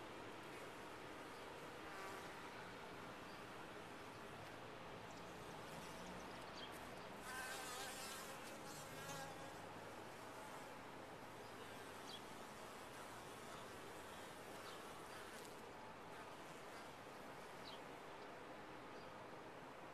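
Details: Honey bees in a top-bar hive hum continuously for twenty seconds; a closer, louder buzzing pass swells around seven to nine seconds, wavering in pitch, over the constant colony drone.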